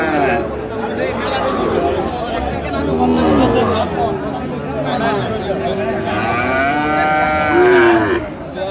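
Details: Cattle market in Chattogram, Bangladesh, 7 March 2025, where farmers buy Sahiwal bull calves: repeated mooing from several animals, some bellows rising then falling, with a louder arched moo near the end, amid crowd chatter.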